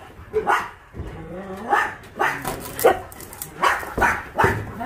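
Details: Shelter dogs at Ulsan Naraeul Center, formerly Mindeulle Shelter, in South Korea, during a volunteer visit: short sharp barks repeat at an uneven pace, about one a second, with people talking nearby.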